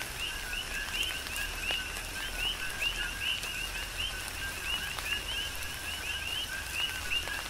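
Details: Big Island, Hawaii, tropical rain with a dense coqui frog chorus: bright repeated chirps stack in a steady pulsing band above a lower tone, while raindrops hiss and tap continuously.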